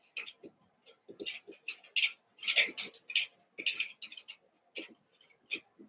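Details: Playing Cavalier King Charles Spaniel puppies, six from Daisy and two from Robin now kept together: dense run of sharp high squeals and yelps, roughly two per second, with low scuffling knocks beneath.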